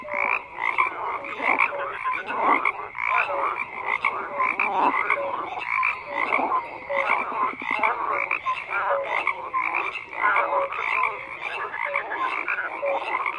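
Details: Numerous frogs croak at once, producing a thick, ceaseless texture of pulsed rattles and short tonal chirps at differing pitches that surge and settle repeatedly.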